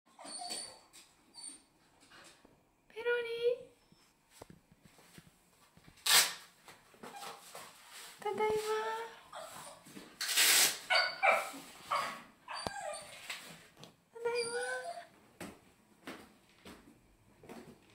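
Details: A Shetland sheepdog whining while greeting its owner indoors: high, wavering whimpers with rising and falling harmonics come in short bursts, mixed with human voices and laughter in a small room.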